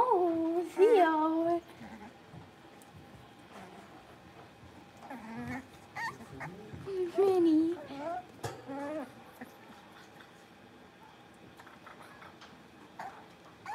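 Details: Young blenheim Cavalier King Charles Spaniel puppies from a litter of five playing together in their pen: a brief tonal whine opens, then quieter scattered squeaks and a second wavering whimper follow amid soft rustling.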